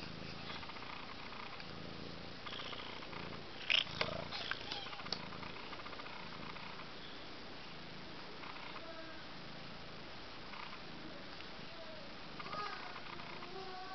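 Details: Four Abyssinian kittens, one month old (Jolie Doll, Juno, Jellybean, Jungle Boogie), give a low, continuous purr broken near four seconds by a sharp, high chirp and a few clicks. Soft mews appear again toward the end.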